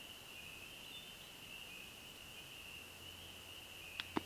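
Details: Nighttime chorus of spring peepers and other frogs at a backcountry forest lake, high peeps blending into one steady, ringing drone.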